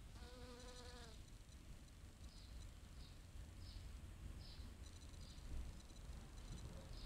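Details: Honeybee foraging on pale pink oregano (Origanum vulgare) flowers: a steady, low droning buzz with clear overtones lasts about one second at the start. Short high chirps recur throughout over a constant low rumble.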